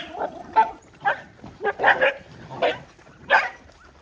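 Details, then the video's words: Dogs fighting over food while being fed: a brief flurry of rough, clipped snarls and growling barks, uneven in spacing, each one a short raspy burst. "Feed Poor Dog and They Do fight"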